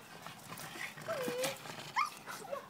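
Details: Pug attacking a tomato plant: a long thin whine sliding slightly downward, then short higher yelps, with rustling of leaves and a woman asking what's the matter.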